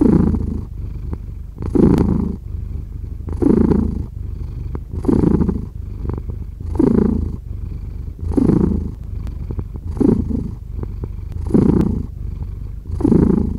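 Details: Cat purring in an even low rumble, louder bursts returning about every one and a half seconds, nine or ten cycles in a row with a gentle purr continuing between them.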